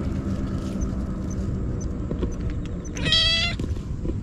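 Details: Hungry stray kitten eating Churu and Sheba, crying nonstop, GoPro recording: a single short, high meow about half a second long, heard over a steady low rumble.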